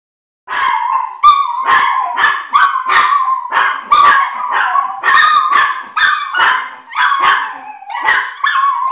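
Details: Chihuahua family singing together at home, a chorus of several small dogs giving wavering, yelping howls that rise and fall, overlapping voices with short sharp yips breaking in about every half second.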